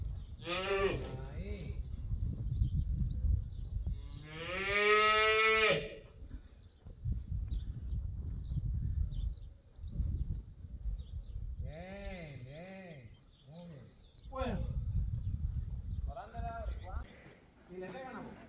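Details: Young female calf at a cattle ranch, used for bullfighting school training, bawls repeatedly: a short harmonic call, then one long, loud, strained bawl, followed by several shorter arched moos later, over low rumbling background noise.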